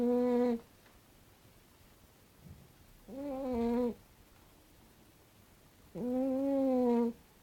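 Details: A cat snoring in its sleep: three steady, humming, nasal tones, each a second long with a slight rise, spaced about three seconds apart over soft background hiss.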